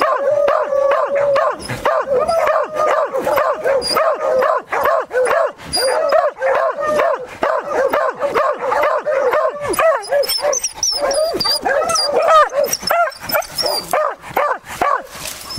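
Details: Beagles and Beagle-Harriers baying at a cornered wild boar during a hunt: a fast, steady stream of ringing yelping barks, roughly two to three per second, several dogs overlapping, some higher squealing yelps joining later.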